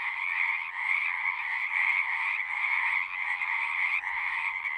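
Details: Many frogs singing together as a nature soundscape, a steady, buzzy trilling chorus with no pauses, the croaks layered into a thick, even hum.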